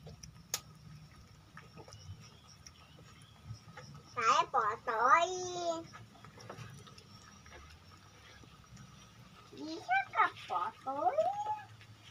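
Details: Village cat being fed rice, Bolt pellets and omelette indoors: a burst of three wavering meows, then silence, then another cluster of shorter, bending meows, over a low steady hum.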